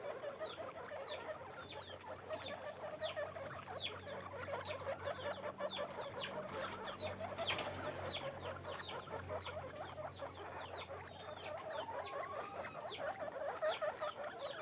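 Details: A dense, steady run of repeated guinea pig squeaks from a farm with caged animals. Short high falling notes come about two or three per second, many callers overlap, and a faint low hum sits underneath.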